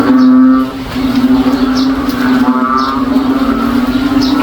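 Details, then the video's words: Noisy frogs calling in a backyard in the province on a rainy day, their voices likened to a cow: a steady low droning hum runs throughout, with ringing, ladder-like bursts repeating roughly every second. "NOISY FROG SOUNDS LIKE A COW IN OUR BACKYARD ON A RAINY DAY"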